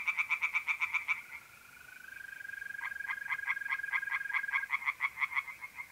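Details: Rapid pulsed croaks of tree frogs at night in a pond in north-east Italy in mid April, a burst at the start, then a long smooth mole cricket trill with frog pulses building again over it.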